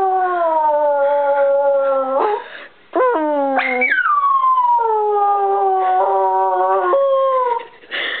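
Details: Brie, a singing Bichon Frise, holds steady drawn-out howls, then jumps to a high yelping note that slides down into another long level howl, a short gap splitting the phrases.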